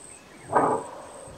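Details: A single abrupt, harsh bark from a greater kudu, its alarm call, recorded in South Africa's Kruger National Park, with a thin continuous high insect tone behind it.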